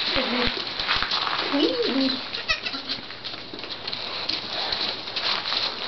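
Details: Three-day-old twin Nigerian Dwarf goat kids playing, one standing on its hind legs; a quavering, wavy bleat sounds early on, followed by a shorter faint one, with human voices and background hum throughout.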